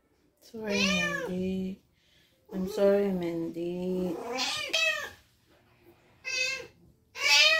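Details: Spayed female house cat in prolonged heat caused by ovarian remnant syndrome, giving long, low, wavering yowls lasting over a second each, then shorter, higher rising meows, with silent gaps between.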